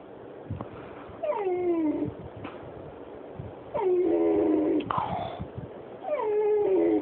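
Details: Oscar, a Pit Bull and Jack Russell mix dog, whimpers because he wants under the covers; high whining cries falling in pitch, three long drawn-out whines about every two and a half seconds, with short sniffs and faint music between.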